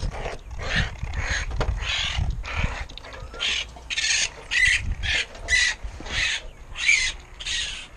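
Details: Young raccoons, their mother previously removed, being called out of hiding for removal; harsh, breathy chittering bursts repeat roughly every half second, with a few thin squeaks woven in.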